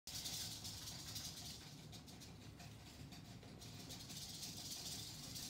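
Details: Eastern diamondback rattlesnake rattling, a steady dry hiss-like buzz that holds high and continuous, fading briefly midway before swelling again, with low rumbling background noise underneath.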